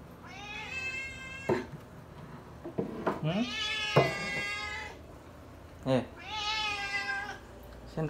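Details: Domestic cat loudly begging for food indoors, giving three long drawn-out harmonic meows, each about a second or more, while a person talks and dishes clink in between.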